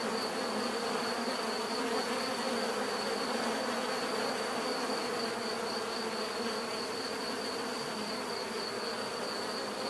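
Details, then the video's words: Dense, unbroken drone from numerous bees, a warm layered buzz with a fine high tone held steady throughout. "bees therapy relaxing natural buzzing sound"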